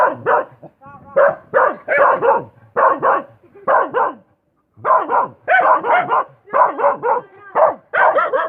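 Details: Dog barking in a quick irregular series of sharp, mid-pitched barks, several in rapid clusters separated by brief pauses, with a few higher whining yelps mixed in; no other sounds stand out.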